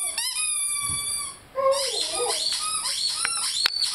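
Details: Lyle, a 5-month-old Rhodesian Ridgeback, howls along with his beloved squeaky chicken toy indoors. Long, high toy squeaks with stacked overtones blend with a wavering, mid-pitched howl that bends up and down, followed by short squeaky bursts.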